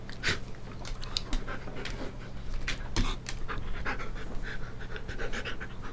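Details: Siberian Husky during playtime, filmed 5 November 2011 early afternoon: fast, breathy panting with scattered clicks and rustling handling noises throughout, low hum underneath.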